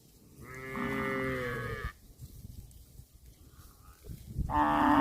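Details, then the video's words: Cattle eating grass, one long low moo with a rich, strongly harmonic tone lasting about one and a half seconds, then quiet shuffling, and a second moo beginning near the end. "CUTE AND FUNNY COW SOUND EATING GRASS COMPILATION - COW MOOING- CON BO"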